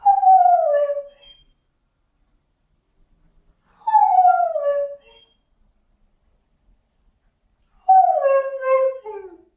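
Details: Frustrated Border Collie mix dog howling: three drawn-out falling wails, each about one to one and a half seconds long, starting high and sliding down, separated by pauses of roughly two to three seconds, with little else audible.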